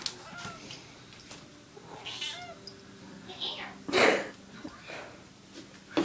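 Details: Pet cat meowing indoors to ask for eggnog, in her own particular way: a few short, faint, bending meows scattered between human speech and household noises, with one louder burst near the middle.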